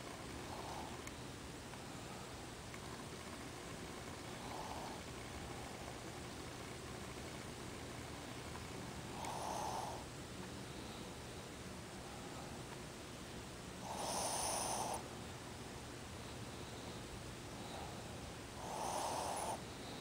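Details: Ozzy the Shih Tzu snoring in his sleep with eyes open: faint breathy puffs at first, then three stronger raspy snores spaced roughly five seconds apart toward the end, against a steady low hum.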